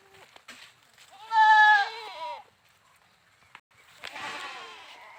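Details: A goat gives one loud, quavering bleat lasting about a second, followed by a softer, breathier bleat after a short pause.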